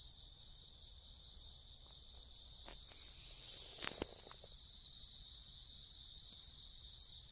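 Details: Wild bell crickets in riverbank woodland sing a high, ringing, steady trill that carries on without pause.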